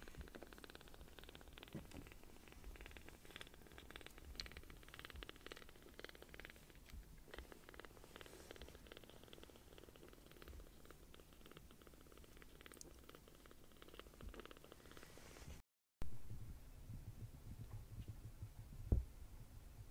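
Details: Tiny newly rescued palm-sized kittens purring loudly while being affectionate; a low, continuous rumbling purr fills the recording with soft rustling, then a brief gap and a few louder bumps near the end.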